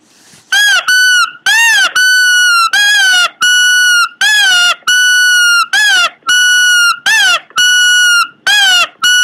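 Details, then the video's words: Pomeranian making weird noises: a long run of loud squeaky whines, arched yelping wails alternating with flat sustained whistled tones, roughly two each second with brief gaps, in a small room. "cute pomeranian making weird noises"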